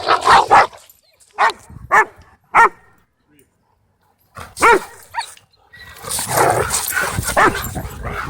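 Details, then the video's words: Cane Corso trying to dominate other dogs at a dog park, with a dog named Bodhi interrupting; a handful of sharp barks in quick bursts, then a noisy stretch of scuffling and broadband sound near the end. "Cane Corso Tries To Dominate Dog Park And Bohdi Interrupts"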